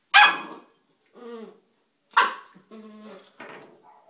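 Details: Bull Terrier puppy, three months old, playing with a rock: two sharp loud barks, each followed by softer harmonic growling whines, spaced about two seconds apart.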